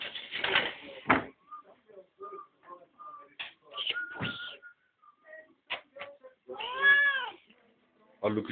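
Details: Pet cat at dinner time, making noise because it wants food, gives a clear harmonic meow near the end after scattered short sounds and bits of human speech indoors.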